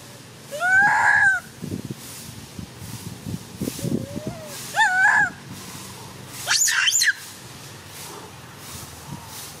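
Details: Monkey mother Handa crying loudly as a young monkey takes her baby Handy; three separate harmonic cries, the last higher and wavering, with scattered rustling and knocking sounds between them.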